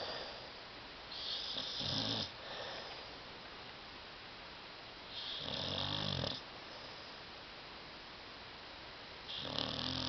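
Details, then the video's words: Tyson, a pet dog asleep on a love seat indoors, snoring loudly: rough, rasping breaths in bursts roughly every four seconds, each with a low rumble and a hissing top, quiet room between. "DOG SNORING"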